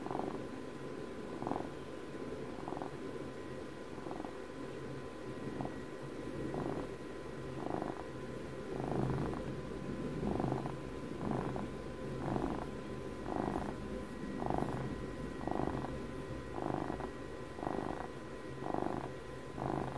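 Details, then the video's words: Softer, more continuous purring from a twelve-year-old house cat recorded for ASMR, with faint pulses roughly every 1.2 seconds over a low rumbling hum and light background noise. "ASMR CAT PURRS"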